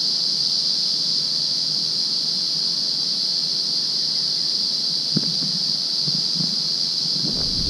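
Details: Cicadas in Budongo Forest fill the air with a steady, high-pitched buzzing drone that never pauses.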